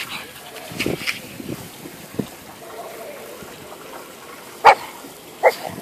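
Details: Dog chewing gum, heard after a stretch of soft Turkish speech, gives two sharp, short barks close together near the end, with quiet room noise between.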